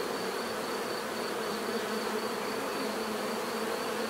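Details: A short stretch of steady bee buzzing: a full, constant drone of many insects, level and uninterrupted, with a faint high whine alongside.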